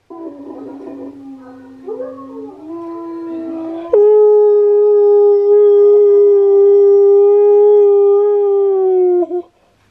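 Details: Husky howling as part of Key's reaction to Steel the husky's singing; a softer, wavering low note rises and then swells into a loud, level, sustained howl held for about five seconds before breaking off.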